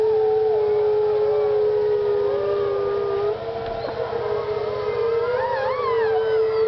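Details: Several wolves howl together at Parc Oméga. A deep, level howl runs throughout, joined by higher voices that slide up and down and, near the end, climb into quick wavering pitch swoops.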